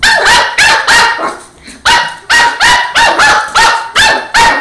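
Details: Border Terrier puppy barking at a broom it is fighting, running away from it: loud sharp yappy barks, about eight repeated roughly every half second after a brief pause.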